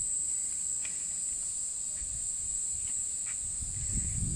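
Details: Abura-zemi, the large brown cicada, in a Japanese summer, its song likened to sizzling oil, 'jin jin jin': a constant shrill buzzing drone without pause, a few faint clicks and a low rumble rising near the end.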